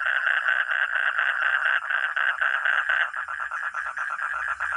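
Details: Frog or toad giving a grating, pulsed croak, about two notes a second at first, then speeding into a quicker chatter of short rasping pulses.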